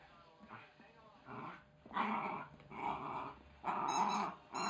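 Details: Wire Fox Terrier pup growling during play with a chicken toy it is destroying; rasping growls swelling in pulses about once a second, with short high squeaks from the toy.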